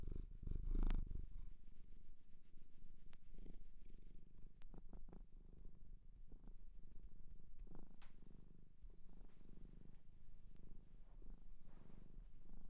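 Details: Cat adopted from a shelter in Japan, purring indoors at close range: a continuous low, throbbing rumble with scattered soft clicks and rustling, and a brief louder bump near the start.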